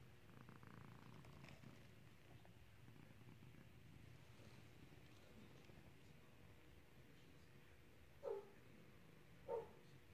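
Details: Domestic cat during clicker training to ring a bell, a steady low rumbling purr running throughout, with two short bright tonal blips near the end.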